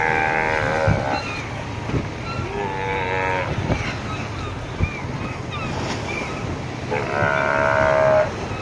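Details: Steller sea lions at Magadan in the Russian Far East, a mother protecting her young: loud, moaning calls rich in stacked harmonics, repeated in bursts of about a second, over a steady low engine rumble and people talking.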